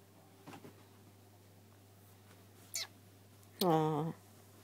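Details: A two-year-old Ragdoll cat in playful kitten mode gives a short, strong meow that rises and falls after a couple of softer sounds.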